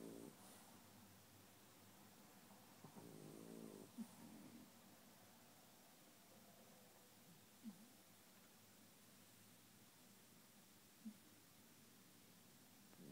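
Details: A French Bulldog in restless sleep snores softly with low rasping breaths, with a few brief nasal snorts spaced several seconds apart, in a quiet indoor setting.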